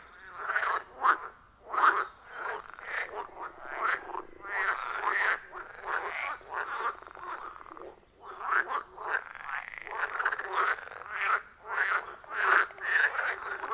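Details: Many frogs calling around a quiet forest pond deep in the woods, recorded on an iPhone 14 Pro with a Shure MV88+. Harsh, pulsing croaks come in dense clusters with short gaps and overlap continuously.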